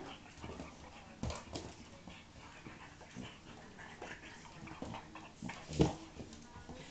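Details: Pug and Akita cross dog at play, giving short rough bursts of growly, scuffling sounds and a brief whine near the end, over a steady low background hum.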